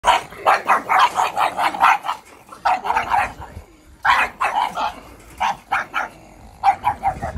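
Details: Pug puppies meeting, giving rapid bursts of short, high yappy barks in quick runs of several, with brief pauses between bouts and a low growly undertone.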